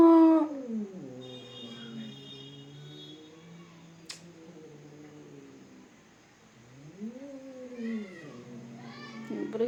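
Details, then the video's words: Fighting domestic cats give low, growling wails that waver and sag for several seconds, then a rising-and-falling yowl near the end, with a sharp click midway and faint human voices. "Cat fighting videos"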